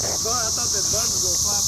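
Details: Cicadas recorded on a phone in Cape Girardeau, Missouri, on 4 June 2015; their loud, steady, hissing high drone fills the background without pause while people talk over it.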